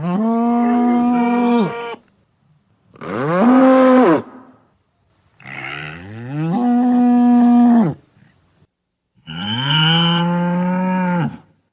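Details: Adult bull giving four powerful, resonant bellowing moos, each one to two seconds long and rich in harmonics, with brief pauses between them and a quiet background.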